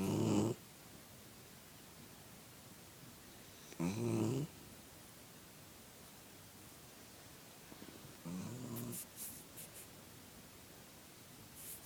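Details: Snores from a sleeping puppy, a female: three coarse, buzzing low breaths spaced about four seconds apart, the last one longer and trailing off, with a few light ticking sounds nearby.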